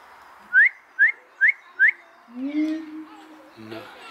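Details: A siamang at Dortmund Zoo gives four quick rising whoops, then lower drawn-out notes follow as people talk nearby.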